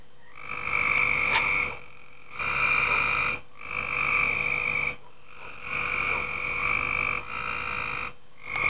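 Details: Tree frogs calling at night in a backyard swimming pool: long buzzy trilled croaks in bursts of about one to one and a half seconds, separated by short gaps, with a steady low hum underneath.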